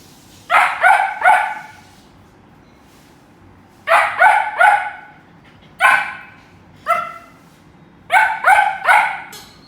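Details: Pet dog barking at a squeak toy: sharp, harmonic barks in quick triplets, then two single barks, then another triplet, separated by short pauses over a quiet room background.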